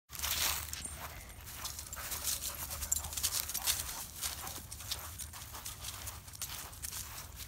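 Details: Odin, a German Shepherd, panting in quick breathy bursts of rasping noise that repeat in a steady rhythm, with faint rustling and low background hum throughout.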